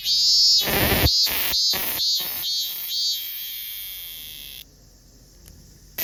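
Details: Minminzemi song: loud, rasping pulsed notes repeated about twice a second, gradually weakening into a thin sustained whine before dropping to near silence, with a brief sharp sound at the very end.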